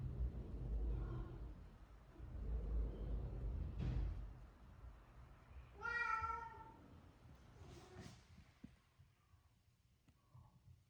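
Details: Shelter cat in Japan, housed in a former elementary school, lets out a single clear meow midway, after low rumbling and knocking sounds, with faint indoor noises afterward.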